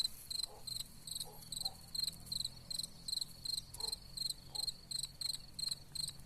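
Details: Cicadas sing a high, pulsing buzz, rapid bursts repeating steadily about twice a second, among wild gladiolus. Cicada.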